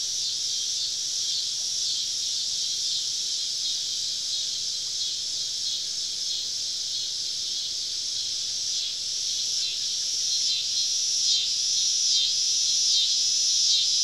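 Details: Many cicadas singing all around a woodland campsite on a southern summer evening: a dense, steady high buzzing drone with rapid pulsing swells that grow slightly louder toward the end.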